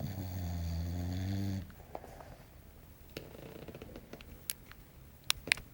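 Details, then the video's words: Small English Bulldog Belchior asleep, giving a deep, rattling snore of about a second and a half that stops abruptly, followed by soft breaths and a few clicks in a quiet room. "Belchior Roncando"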